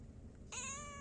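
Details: One drawn-out cat meow starting abruptly halfway through, steady and slightly falling, with rich overtones, low background hum throughout.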